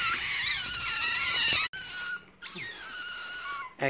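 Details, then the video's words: Baby otter with white feet and a white ringed tail giving high, thin, wavering squeals that rise and fall, one long run then shorter falling whistles after a break. "BABY OTTER LANGKA, KAKI PUTIH, EKOR PUTIH RINGTAIL"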